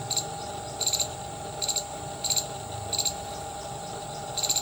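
An Indian palm squirrel gives sharp, high chips in quick bursts of three or four, repeated.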